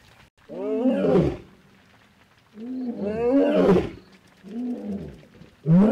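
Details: Lion roaring in the late evening after heavy rain in Naboisho Conservancy, Maasai Mara, Kenya, where a male and his nearby pride roared. Deep, moaning roars swell and fade in long bursts, about four within six seconds, against a quiet background.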